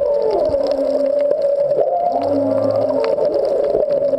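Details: Humpback whale (Megaptera novaeangliae) song recorded underwater at the Back Wall of Molokini off Maui, whales unseen but nearby: low moans and mid-pitched tonal wails shifting up and down over a steady underwater hum.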